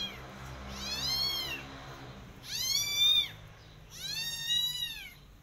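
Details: Persian cat and her adopted kittens walking in a garden while eyeing rabbits; three loud, high-pitched meows spaced roughly a second and a half apart, each arching up and trailing downward, with little else heard.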